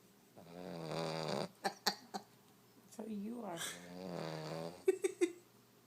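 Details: A pet French Bulldog snoring heavily: long, rattling, nasal snores about a second each, separated by pauses with sharp snorting clicks and sniffs.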